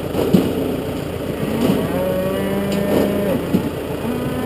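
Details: Lowing from a Galloway bull while suckler cows are fed: one long, level, droning moo lasting about a second and a half, set against the constant hum of a running farm engine and occasional knocks.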